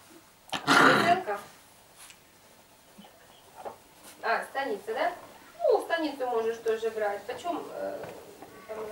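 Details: Airedale Terrier puppies at five weeks old, litter born 9 February 2014: a loud rough burst first, then a string of bright, downward-sliding yelps and whines packed together in the last few seconds.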